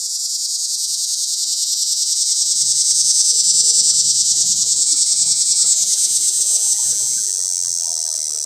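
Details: A cicada giving its mating call from a pear tree, recorded up close: a loud, continuous high buzzing drone with a fast rapid pulsing throughout, steady in pitch, faint low rustling underneath.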